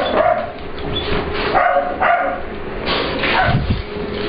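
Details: During playtime in a work grooming room, English Bulldog/Pit Bull puppy Ester lets visiting dog Layla know the room belongs to her. A few scattered high yips and short barks sound over a low hum.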